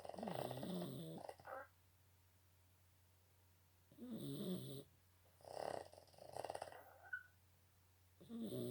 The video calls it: Boston Terriers big snore.